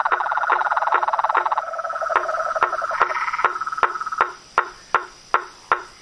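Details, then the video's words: Toads and tree frogs calling in the wild: fast rattling pulses at first, then loud separate knocks spaced under half a second apart, with a faint high continuous tone throughout. "Os sons dos sapos , rãs e perereca na Natureza"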